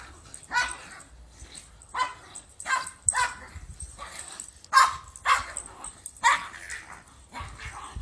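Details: Two pet dogs, a Pomeranian and a Shepherd, bark while greeting their owner: about seven short, sharp yips and barks arrive in uneven bursts over eight seconds, with a man's voice speaking between them.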